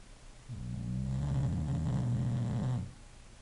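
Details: English Bulldog snoring while asleep: one long, deep, rumbling inhaled snore lasting over two seconds, with a rapid low flutter and fairly steady pitch, rising out of quiet background and cutting off abruptly.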